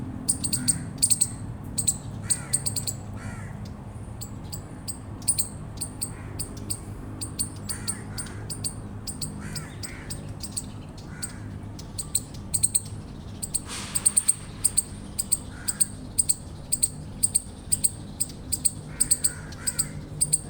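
Eastern chipmunk giving sharp, high chips repeated several times a second over a low rumble.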